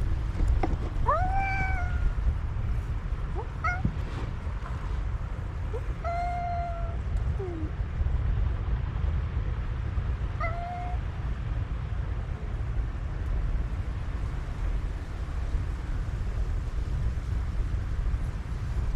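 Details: December 2022 exchange between a black cat and a white cat in conversation, the black cat calling in an intense voice: a series of rising then falling meows about every two to three seconds, over steady low rumbling noise.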